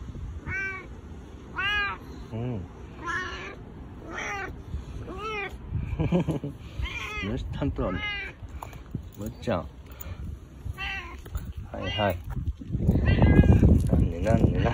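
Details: Domestic boss cat Bu-chan, husky-voiced and five times more affectionate than usual, rubbing close for attention; rapid, insistent series of bent harmonic meows, some overlapping, ending with loud rustling and handling sounds.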